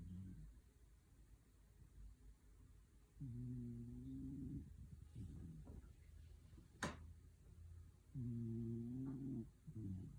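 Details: Sleeping contentedly indoors, a dog snores twice, each snore a low, humming, slightly wavering drone lasting over a second, separated by quiet breathing and a single sharp click in between.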